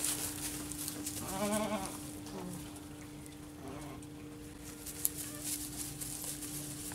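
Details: Baby goats (kids): one wavering, quavering bleat lasting under a second, a fainter short bleat after it, over a steady low hum, rustling and scattered clicks.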